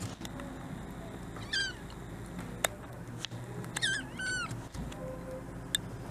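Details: Malnourished female kitten, white and tabby, newly rescued, unsteady on her folding front legs: thin, high, wavering mews, one alone then two close together, over a low indoor hum with a few sharp clicks and knocks.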